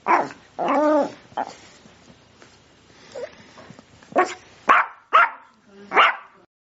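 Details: Sprocker spaniel opening with a brief wavering whine and a yelp, then a quiet stretch with soft faint sounds, followed by four sharp, loud barks spaced about half a second apart.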